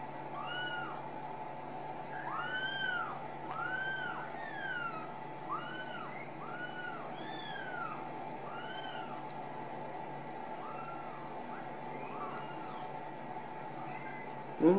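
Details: Several Ragdoll kittens out of the nest in a central Kansas home cattery keep up a run of short, rising-then-falling meows, dense at first and thinning later, over a constant hum, ending with a loud bump.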